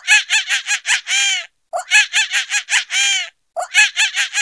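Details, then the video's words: Monkey laughing in repeated phrases, each a fast series of staccato chattering notes capped by a longer drawn tone. The phrases follow one another at regular intervals, with silent gaps and a clear background. "Laughing Monkey"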